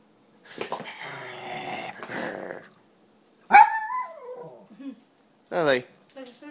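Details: Small pet poodle being teased by its owner in play, giving a drawn-out rumbling growl-like vocal, then a sharp yelp sliding into a falling whine and a short wavering whine, with a person talking to it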